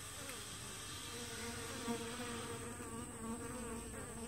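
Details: Honey bee traffic at the entrance of a hive split two weeks after it was made: steady droning hum with gliding, slightly wavering pitches as individual bees pass, under a thin constant high tone.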